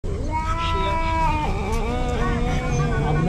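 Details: Karin, a ferocious Japanese stray cat, switches from affectionate to fighting mode and growls at an intruder in her territory: long, wavering, drawn-out yowling tones that slide down in pitch, with people talking in the background.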